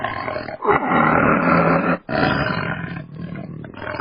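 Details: Tiger giving a long rasping roar, a rough sustained growl that pauses briefly at two seconds and then carries on just as hoarse.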